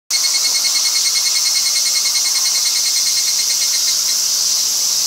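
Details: A chorus of higurashi (evening) cicadas in a forest sings together, high ringing notes pulsing quickly and steadily and blending into a continuous shimmering drone with no pauses.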